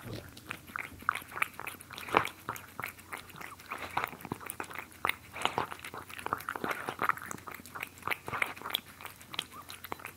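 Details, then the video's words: Close-up cat eating: steady crunchy chewing and sharp clicking bites, several per second, some louder snaps, in a quiet indoor room. "ASMR Cats Eating"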